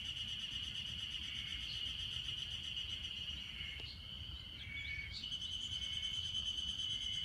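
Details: Ezo harusemi cicadas in Hanazono Park, Otaru, Hokkaido, singing during an unusual May heatwave of 30 to 32 degrees; a dense, steady high-pitched droning chorus with faint overlapping notes and a brief dip near the middle.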